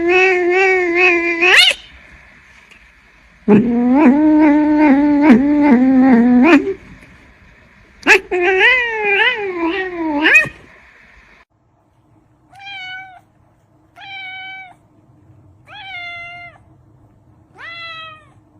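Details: Cat producing long, wavering, strained yowls in three drawn-out bursts, rising and falling in pitch, then four shorter falling meows spaced about two seconds apart, with a faint hum underneath.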